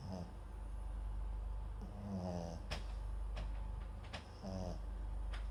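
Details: Indoors, the Papillon × Japanese Chin mix Max snores in his sleep beside a microphone, giving three short, low, grumbling snores about two seconds apart over a soft background hiss.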